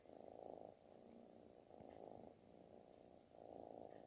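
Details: Affectionate kitten giving a loud, snore-like purr; three strong rumbling swells spaced about one and a half seconds apart, separated by softer inhaled purring, in a quiet setting.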